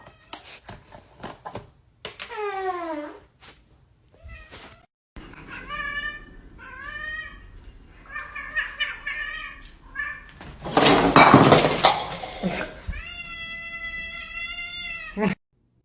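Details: Domestic cat meowing indoors in a funny cat compilation: a long falling meow near two seconds, then several short harmonic meows and a sustained high meow near the end, with a loud noisy burst between them and clicks.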